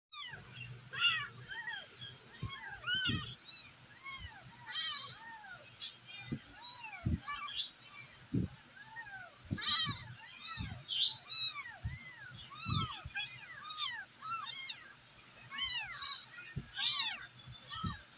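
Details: Several abandoned, rescued kittens meowing for their mother; many overlapping high arched mews rise and fall throughout, with low thumps and faint background murmur.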